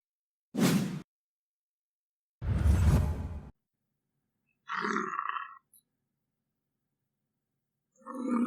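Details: American bison: two short, harsh, breathy snorting grunts, then a shorter tonal moaning bellow, with another bellow starting at the end.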